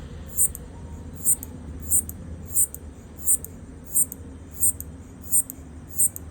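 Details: Recorded by iPhone, a locust trying to communicate with its partner produces a steady train of crisp high clicks, around one every 0.7 seconds, above a quiet low-frequency hum.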